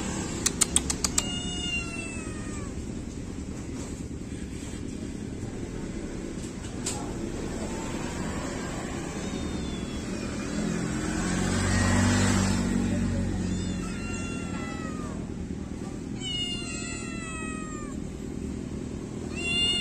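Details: Kittens after bath time: a short cluster of high harmonic meows opens the recording, then a long stretch of low steady hum with a swell of noise midway, before more overlapping kitten meows return near the end.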